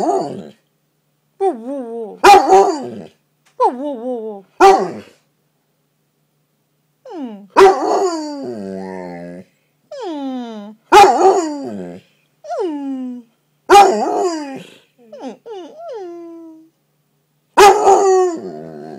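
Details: Bolo, a pet dog, gives his famous howl indoors after crawling under a comforter and getting stuck: loud, drawn-out wavering woo notes that slide downward, in bursts about a second long, repeated with short pauses and sharp clicks between.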